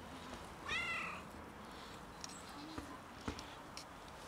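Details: Cat out in the freezing winter, struggling and in need of warmth: one strong rising-then-falling meow at under a second, followed by quiet ticks and faint background rumble.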